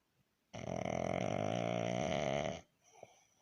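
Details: Baron the pug snores while resting, making a single drawn-out, throaty, vibrating snore of about two seconds that ends abruptly, followed by a faint quiet breath in a small indoor room.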